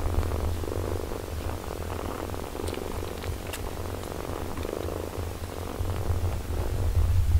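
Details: Mother cat caring for and nursing her eight-day-old kittens indoors; a steady low rumbling purr runs throughout, pulsing evenly with faint rustling and no clear meows.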